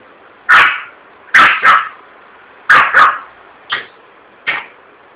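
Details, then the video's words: Fearful Yorkshire Terrier in Vitória da Conquista, Brazil, after a balloon pops: quick high-pitched barks, some in rapid doubles, followed by two shorter, softer yaps. "Yorkshire com medo. Balão explode e causa gritaria"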